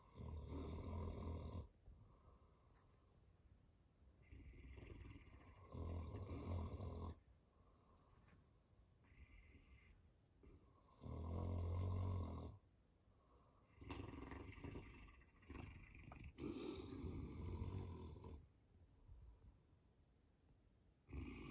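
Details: Two Saint Bernards, male pet dogs, snoring while sleeping at home: low, rasping breathy bursts, each lasting one to two seconds and coming every few seconds at uneven intervals, with quiet gaps between them.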